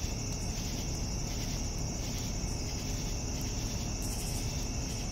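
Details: Evening cricket chorus: an unbroken high, ringing trill and faint rhythmic chirp bursts, with a sharper flurry of clicks near the end and a constant low hum underneath.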